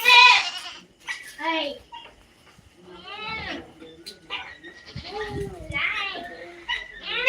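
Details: Native goats bleating repeatedly: several quavering, nasal bleats with rich overtones, some rising then falling, separated by short quiet gaps, with light background noise.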